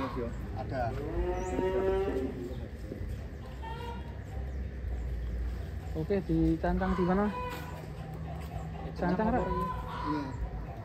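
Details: Giant cattle Ken Arok Bimasakti, readied for a cattle contest in DKI, gives drawn-out harmonic moos, one early, a lower, longer one midway and a short one near the end, with people talking in the background.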